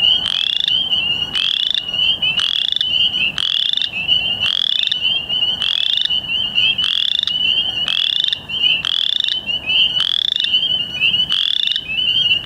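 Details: A Western Chorus Frog calls with rapid, rising, creaking trills, repeated about once a second; recorded 2 May 2013 in Ontario.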